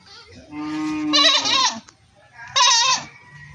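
A goat gives two loud, wavering bleats, the first rising from a steady nasal tone.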